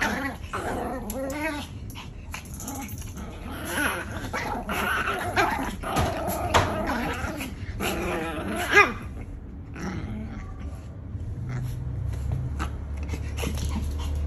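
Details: Pomeranian puppy growling, a low rough rumble broken by short high yips and whines, with some rustling; a person's voice is briefly heard.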